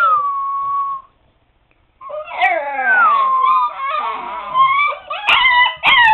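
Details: Seven-week-old Siberian Husky pups in a puppy pen: a short howl, a second of quiet, then a chorus of wavering, sliding howls and yelps from several pups together.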